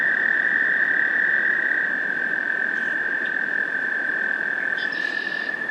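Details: American toads in Maynard, Massachusetts, on 30 April 2021 give a long, steady, high musical trill, unbroken throughout. The toads were wrestling while northern water snakes preyed on them. Faint bird notes sound above and broad hiss beneath.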